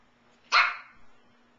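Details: Single sharp bark from a Shih Tzu puppy indoors, 17-week-old female Payslee playing with her new brother Sawyer; one bright high-pitched yap rising abruptly then tailing off quickly, with a steady low hum behind it.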